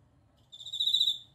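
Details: Bell cricket singing: one clear, high, ringing trill lasting under a second, bright and bell-like with shimmering overtones, rising in loudness then fading, over a quiet low background hum.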